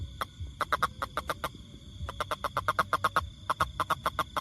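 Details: Rapid series of sharp, knocking pulses from a toad, delivered in quick runs of six to ten notes with brief pauses, over a low background rumble and steady high-pitched hum.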